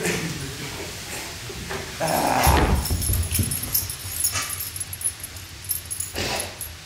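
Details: Great Pyrenees Fritz and Beatrice, two dogs playing with a man, give rough broadband growls and short bursty vocal noises, loudest mid-clip, with scuffling and room noise around them.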